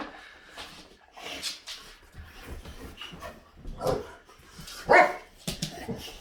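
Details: Boxer dogs indoors, barking in a few sharp bursts, a loud one near the end, between quieter stretches with a person talking softly to the dogs.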